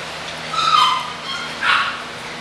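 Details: Two drawn-out, whiny yelps from English Bulldog puppies: the first wavering and longer, the second shorter and brighter, over a faint hum.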